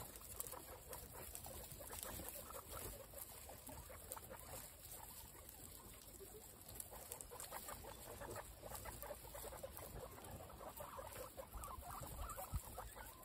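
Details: Female guinea pigs crazy for apple, part of a group of 26 kept as pets: dense, fast crunching and gnawing clicks from many mouths at once, continuous with no pauses.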